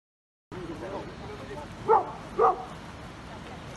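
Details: Beauceron named Vulcain, 23 months old, at a regional breeding show in Fraize, France, during a natural aptitude test: two short barks about half a second apart over steady background murmur and crowd noise.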